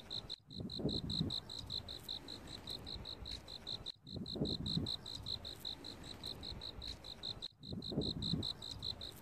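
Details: An autumn cricket keeps up steady, bright, high chirps, each a quick ringing pulse repeated several times a second, over a low rumble; the recording restarts in short repeating loops.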